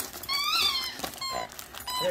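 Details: Excited female German Shepherd unwrapping presents at Christmas while being urged to open it, producing a rising-then-falling nasal whine followed by shorter high whimpers, over background music in a small room.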